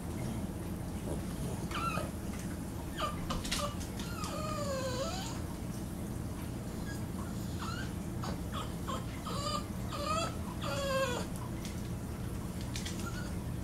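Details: Beatrix, a female Boston Terrier, plays indoors with her iDog toy, giving a series of short, high whines that slide up and down, scattered across the clip over a steady low room hum.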